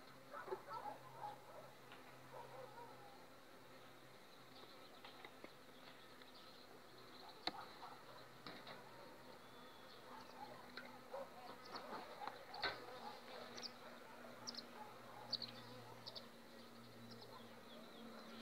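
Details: Honey bees of an overwintered colony on five frames, two weeks before acacia bloom: a steady low hum with wavering buzzes passing by, scattered clicks and some other tonal sounds in the background.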